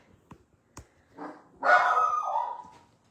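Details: Pet puppy barking indoors, seemingly at something heard outside: a few soft taps and a short yip, then one loud, drawn-out bark lasting about a second, fading out in a small room.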